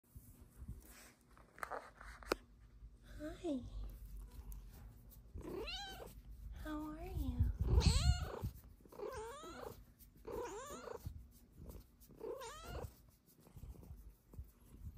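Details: A Snow Lynx Bengal cat lying belly-up on a love sack with her feet curled gives a run of bending, rising-and-falling meows, asking for belly rubs.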